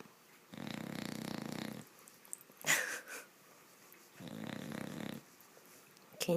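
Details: Seven-month-old female bulldog puppy sleeping in the middle of a bed, a loud snorer: two long, harsh snores over a second each, with a woman speaking briefly between them.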